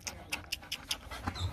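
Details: Rottweilers Nina and Nano, two young dogs kept as breeding stock at the Rottweiler Gervi kennel in Vietnam, playing. Quick breathy panting puffs come about five per second, short and evenly spaced, then trail off.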